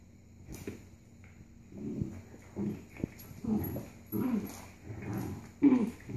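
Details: Labrador-Corgi mix puppies aged roughly 4.5 and 6 months playing tug-of-war, giving short low growls and grumbles, about six separate bursts spaced under a second apart, some ending in a slightly higher whiny edge.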